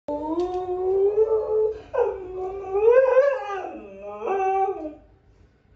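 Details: Samoyed puppy howling indoors: long drawn-out wavering howls, first steady then rising and falling, with a brief lower dip near the end, followed by a woman speaking Mandarin.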